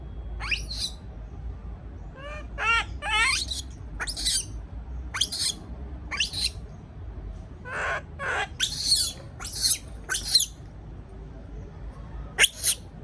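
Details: Alone in its cage and afraid, a young monkey utters piercing screams and quavering warbled squeals, bursts spaced about a second apart, against faint low background noise.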